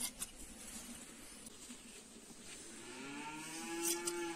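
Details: Sheep during shearing gives a single long, steady bleat that swells toward the end, after several seconds of dull rustling and a low background hum with a few faint clicks.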